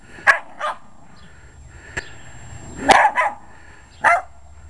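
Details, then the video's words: Jack Russell Terrier with short legs attacking a lawn mower, giving quick sharp barks, some in doubled bursts, separated by sharp clicks and light background rumble. "Dog Attacks Lawn Mower"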